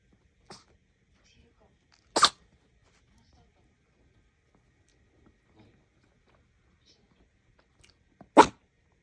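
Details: Chihuahua-Maltese mix pet dog sneezing: two sharp, explosive bursts about six seconds apart, plus a fainter one near the start, amid near-silence.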